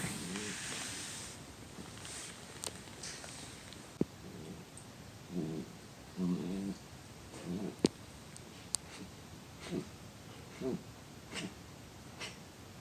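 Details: Dachshund having a reverse sneeze: bursts of harsh, rhythmic snorting gasps, several quick pulses per burst, coming in irregular spells over several seconds, with a few sharp clicks and low background hiss.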